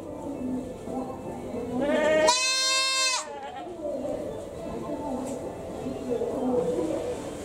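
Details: Zoo goat in Japan at Tobu Zoo giving a human-like crying call: a single loud, nasal, harmonic bleat lasting under a second, set against steady crowd chatter before and after.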